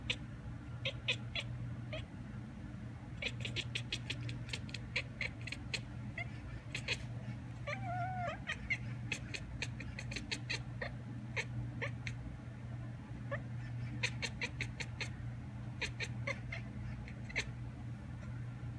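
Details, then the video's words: While a magpie calls outdoors, a house cat at the window answers with clipped, clicking chatter in rapid strings separated by pauses. A short faint wavering mew sounds near the middle, over a constant low hum. "Cat mimics bird’s call 貓模仿鳥叫"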